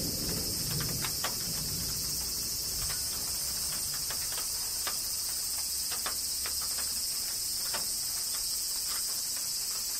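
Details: Cicadas in Kyoto, Japan, under summer rain: an even, piercing high drone continues unbroken as rain drops tick irregularly and a soft low rumble passes early on.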